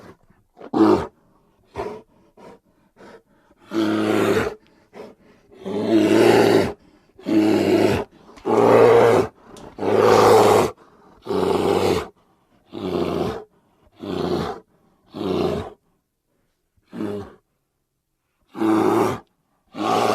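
A grizzly bear gives a series of harsh, throaty roars, each about a second long.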